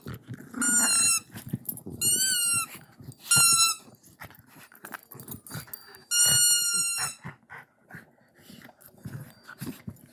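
A Siberian Husky gives short, high, steady howls in four separate bursts, with room noise between.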